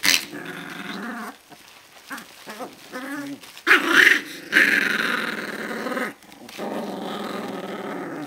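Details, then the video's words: Alaskan Malamute puppies aged 18 to 25 days, growling and whimpering in short harmonic bursts, with louder squealing cries midway and a continuous low grumbling toward the end. "cuccioli di alaskan malamute dal 18 al 25 giorno"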